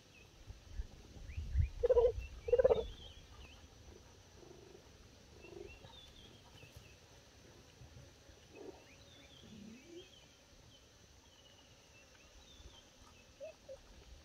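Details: Cheetah (Acinonyx jubatus) mother Philipina gives two bird-like chirps, with purring, calling her cubs to come and eat their breakfast meat; the cubs come running.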